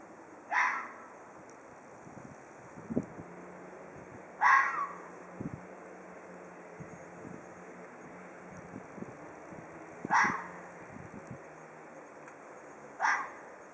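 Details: A Hokkaido red fox gives four short, harsh, screaming calls, each a falling rasp, spaced roughly three to six seconds apart, over a faint low rumble with scattered soft knocks.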